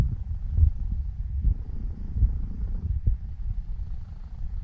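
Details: Elf, a seven-year-old female Norwegian Forest Cat, purring while kneading before falling asleep; a steady low rumble with pulsing texture, no other clear sounds.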